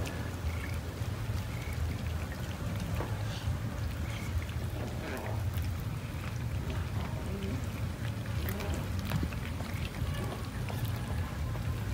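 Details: Steady rain pattering over a low rumble, with faint murmured speech in the background.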